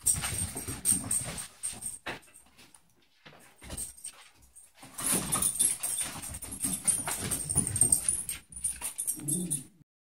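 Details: Eevee, a little fluffy six-month-old Corgi puppy, chasing a laser indoors: whimpering and yipping sounds in bursts, with thumps and jangling noises between, then a short quiet gap and more continuous whining near the end.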